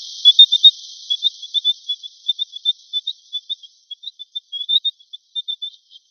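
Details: Mongolian gerbil (Meriones unguiculatus), chirps: prompts answering calls from other gerbils.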